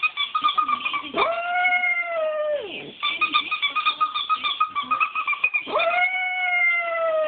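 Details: Female Shiba Inu giving the breed's well-known howl while annoyed by a toy squeaker; long drawn-out harmonic wails that rise then slowly fall, alternating with quick yapping pulses, three sustained howls across the stretch.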